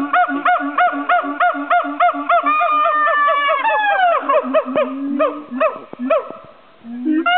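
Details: At Dubbo Zoo in 2010, a siamang calls in a fast run of loud, rich, nasal honking barks, about three a second. Midway come longer rising and falling swooping whoops, then the barks turn ragged and uneven.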